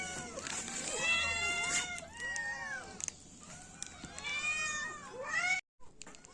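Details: Kittens and cats give a dense chorus of bending, tonal meows, several callers overlapping at once, the calls thinning briefly before a short silence near the end and a few more meows after.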